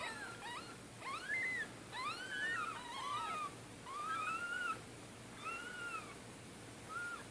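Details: Orphaned domestic kittens, four of them aged two to three days, whose mother was killed by a car in Middletown, being bottle fed; high, thin arching mews repeat in quick succession, several overlapping early, then spaced about one per second.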